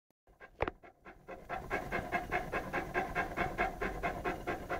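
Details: Lara, an 11-month-old Saint Bernard puppy, pants while playing with a pygmy rabbit: after a brief quiet start and a thump, quick breathy huffs settle into a steady, even rhythm of about two per second.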